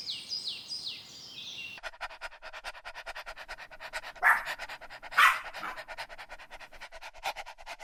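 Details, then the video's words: Playful dogs chasing each other on grass pant in a fast, steady rhythm, broken by two loud barks about a second apart; a short bird phrase opens the recording. "Dog barking sounds"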